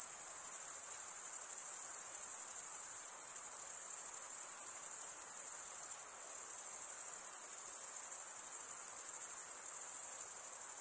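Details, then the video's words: Crickets, chiefly males, stridulating with comb-like wing teeth; a uniform high, buzzy trill sounds nonstop, gently rising and falling in volume every few seconds, with nothing else audible. "cricket sound"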